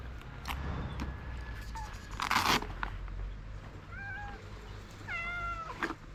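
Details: Stray street cats in Morocco, seeking food and care in the morning: two clear, drawn-out meows, one near the middle and a longer bending one toward the end, over low traffic rumble with a brief rustling burst earlier.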